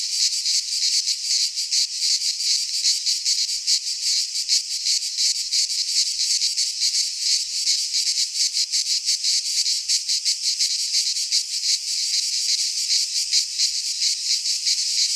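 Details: Cicadas from the Greek fauna singing in midsummer among pines; an unbroken, intense high buzz made of fast, slightly uneven pulses, filling the whole stretch with no other noise.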